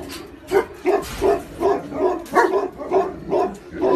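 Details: A Tibetan mastiff, giant dog of China, gives rapid, uneven barks, roughly ten short deep woofs in four seconds over a noisy background.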